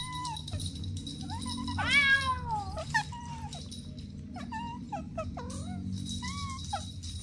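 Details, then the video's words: Playful domestic kittens with their mother and two siblings give a run of short, high mews, some rising and then falling, one more insistent cry in the middle, and soft music underneath. "Sweet Kittens Playing Together | Soft Meows"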